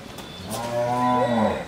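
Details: Bull offered for sale at a dairy farm in Bhangura, Pabna, Bangladesh, giving a single drawn-out moo lasting under two seconds, low and steady, swelling in loudness toward the end, recorded with faint background noise.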